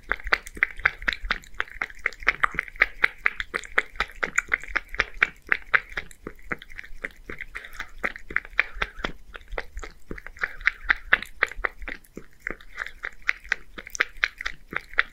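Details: One-year-old male Scottish Fold cat in Japan eating creamy seafood soup quickly: rapid wet lapping and smacking clicks, several per second, continuing steadily throughout in a quiet room.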